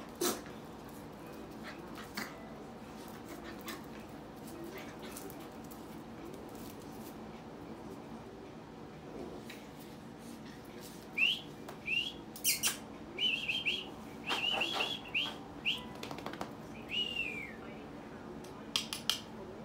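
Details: Red miniature poodle female puppies, born Feb 14, give thin, high squeals, about a dozen short rising-and-falling whines bunched in the later half, among scattered soft clicks and rustling indoors.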